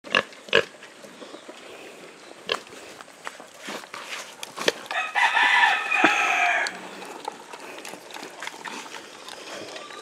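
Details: Native pig being fed azolla, mixed with feeds and rice bran: a loud, harsh, noisy squeal lasting about a second and a half midway, preceded by sharp short knocks and scattered faint clicks against a quiet farmyard background.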